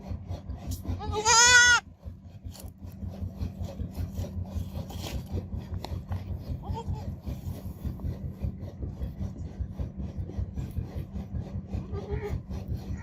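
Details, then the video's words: Young goat kid letting out one loud, trembling bleat in the first two seconds, followed by a long stretch of low rumbling, scraping background noise with a couple of very faint short calls later on. "Baby Goat Sounds Babbling Sound Effect Goat Kid Sounds Effect"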